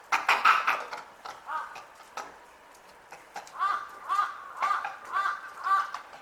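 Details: Noisy Japanese macaque group at Asahiyama Zoo, Hokkaido. Harsh opening cries give way to a rhythmic run of rising-and-falling wavering calls, repeated roughly every half second.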